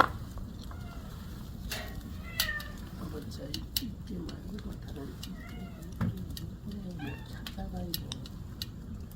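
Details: Domestic cat in a home during an evening; several soft, short meows rise and fall through the clip, scattered among clicks and knocks, while people talk in Korean about cooking sweet potatoes nearby.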